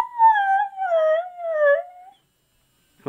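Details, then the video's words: Husky "talking" as if saying he wants his mommy: three drawn-out, wavering howl-like tones with rich harmonics, each dipping slightly in pitch, over about two seconds, followed by silence and a brief sound at the end. "Husky Talking Dog"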